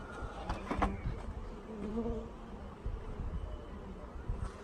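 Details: Worker honey bees being installed from a package into a hive, sugar syrup mentioned: a droning hum with faint tonal bands low in pitch, interrupted by a few brief handling knocks early on.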